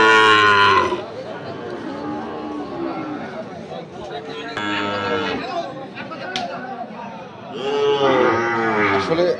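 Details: At Ambari market in Dinajpur on 6 November 2023, Sahiwal bull calves low three times: a bellow at the start, a shorter one midway, and a long wavering moo at the end, with quiet murmuring and clatter between.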